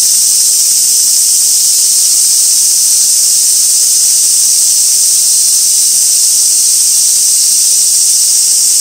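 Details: Cicadas at Gaikotsu-yama on 2 August 2024, near an old sawtooth oak, give a continuous, shrill, hiss-like buzz that is high and steady in loudness, one even wall of insect sound without pauses.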